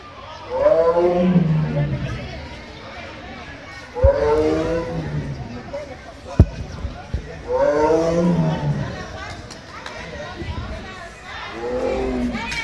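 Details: Tiger (Panthera tigris) at Giza Zoo, Egypt: deep, rumbling roars that slide downward, repeated every three to four seconds.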